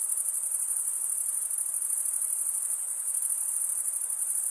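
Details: Crickets, usually the males, stridulating by drawing one wing across the comb-like teeth of the other, producing an unbroken high-pitched trill with fast faint pulsing, steady in loudness, above a quiet broadband hiss.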